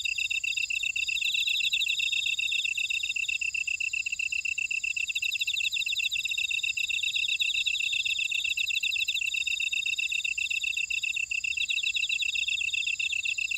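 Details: Buckwheat field insect chorus from Ora-dong, Jeju City, Jeju Island, South Korea: continuous high-pitched trilling in several overlapping layers, fast ticking pulses, and a steady whine on top; no other sounds stand out.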